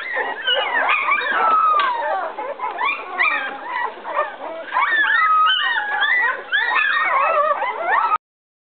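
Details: Eleven-day-old puppies in a whelping box whimper for their absent mother, who walked back out; overlapping squeals and drawn-out whines, some sliding downward, form a steady chorus that ends abruptly.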